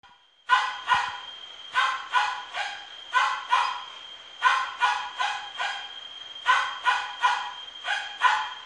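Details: Miniature Pinscher barking sharply in quick clusters of two or three barks, each group separated by a brief pause, with a steady thin high tone humming underneath the whole time.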